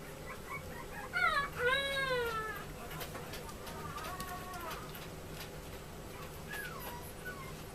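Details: Male Chihuahua puppy, born 30 July 2014, at a pet shop in Yokosuka, Kanagawa, Japan, gives a few high, wavering whines early on, then fainter whimpers against a steady low indoor hum.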